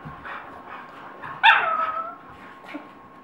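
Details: Fighting dog in Colorado giving one sharp, strained yelp that trails off into a whine, with muffled scuffling and low barks before and after.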